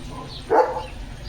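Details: Single short bark from Leo, a German Shepherd, in the morning, one brief burst standing out against a low steady hum.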